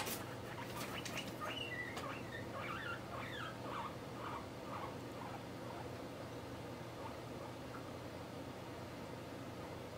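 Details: Pet guinea pig Mop squeaking in the morning while poking its head out and pulling it back, a quick run of short chirpy kyun-kyun squeaks over the first few seconds, then low room hum.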